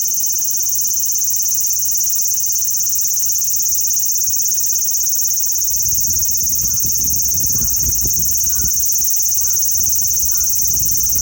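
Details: Large brown cicada singing a steady, sizzling, high-pitched drone without break, with faint distant calls and a low rumble of wind or traffic in the second half.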